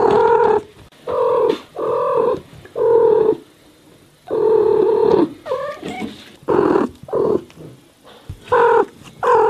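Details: Non-stop meowing from American house cats: loud, steady, buzzy harmonic calls in quick succession, a few with wavering upward bends, broken by one longer pause partway through.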